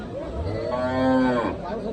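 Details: Cattle at a livestock market in Syedpur New Market, Debidwar, Comilla: one long, even, low moo swells and fades over about a second. Faint crowd murmur sits underneath.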